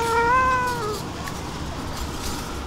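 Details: Excited stray cat at feeding time near the dining table gives a single clear meow, level then slowly falling, about one second long, followed by quiet background.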